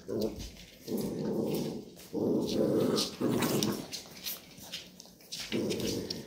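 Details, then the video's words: Labrador Retriever mother indoors teaching her puppies there is no milk: low rumbling growls in bursts of about a second, repeated several times with short gaps, faint puppy squeaks and rustling between. "Hundemutter bringt den Welpen bei das es keine Milch gibt."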